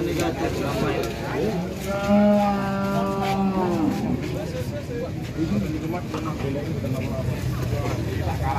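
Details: Jumbo Limousin cattle at a livestock farm in Ampel, Boyolali, Central Java, arriving late: a long sustained moo with a steady harmonic tone lasting about two seconds, over a constant background hum and some distant voices.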